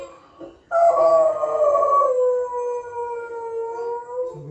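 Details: A Doberman, reacting to dogs howling on TV, gives a long, sustained howl that starts high and slowly slides downward in pitch.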